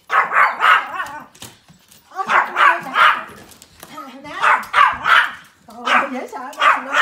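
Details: Several Pomeranian puppies at play in winter snow, yapping in bouts of rapid high barks, about four busy clusters with brief quiet gaps between them.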